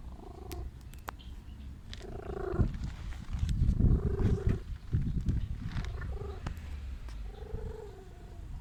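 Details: Stray cat, sick and wanting love, purring steadily in low rapid pulses, about four per second, broken by short higher tonal sounds and a few sharp clicks.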